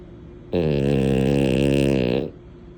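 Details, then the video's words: A single drawn-out snore from Mini, a sleeping female French Bulldog: nearly two seconds of steady, loud, deep, fluttering rasp, rising abruptly from and fading back into a quiet indoor room. "Snores for days! Mini gives a masterclass in snoring like a pro."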